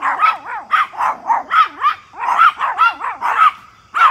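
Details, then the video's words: Back-yard Pomeranians barking at a big deer, a routine for the three dogs: rapid sharp yaps, some with a squeaky whining edge, fired almost continuously with overlapping voices before a short pause and a final bark. "Pomeranian Barking a Deer"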